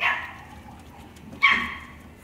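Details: A male red Toy Poodle gives two sharp, high-pitched barks about a second and a half apart.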